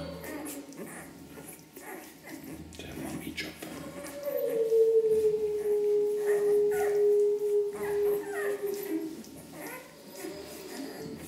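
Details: Ten-day-old Ca de Bou puppies from the parents Ivi and Tito: one drawn-out, steady tonal whine lasting about five seconds, ending with a slight fall. Human voices murmur in the background before and after it.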